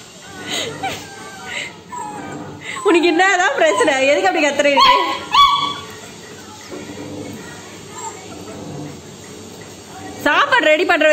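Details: Labrador puppy pleading for food while her owner talks: wavering, wobbling whines and yelps cluster in the middle, then a couple of short cries near the end, over steady household speech.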